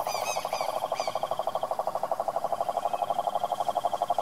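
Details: Wild cane toad trilling in the Brazilian Pantanal sertanejo, a steady buzzy pulsed trill, with several short rising bird chirps near the start.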